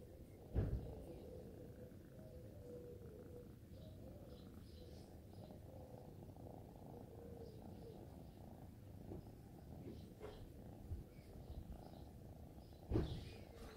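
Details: Kittens purring as they are petted: a quiet, steady low rumble running without a break, with soft thumps near the start and the end.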